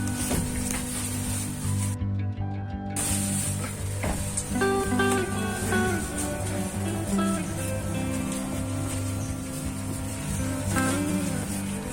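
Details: Steady plucked guitar music plays throughout with no animal sound.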